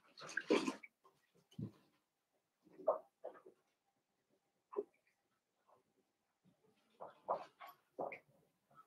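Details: Newborn blenheim Cavalier King Charles Spaniel puppies, a litter of five born at New Year's, in an indoor puppy pen: short grunting squeaks and snuffles in scattered bursts, a louder cluster at the start and again near the end.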